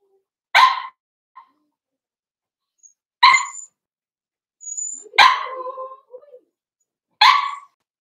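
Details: Four-week-old Cavalier King Charles Spaniel puppies in a pen, Daisy's litter, giving short, sharp barks spaced about two seconds apart. There are four bursts in all, with faint high whistled tones between them.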